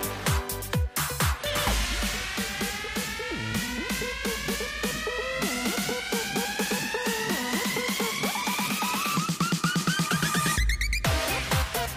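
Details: Loud electronic dance music with a steady pounding beat and rising synthesizer lines fills the whole stretch.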